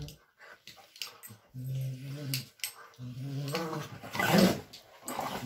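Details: Bluetick Coonhounds playing together give low, rumbling play growls in two sustained bursts, with a person speaking briefly.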